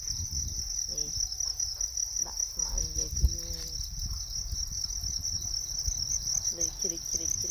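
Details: Natural crickets produce a continuous, even, piercing high trill that never pauses, while brief fragments of a man's voice and light handling noises come and go underneath.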